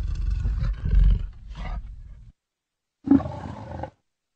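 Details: Leopard producing a very deep, rumbling growl that trails off, followed after a second of silence by one short, sharp throaty grunt.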